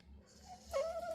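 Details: A female pet dog, excited because it is dinner time, gives a brief high whine indoors that rises, then holds steady and slightly wavering, with quiet room noise beneath.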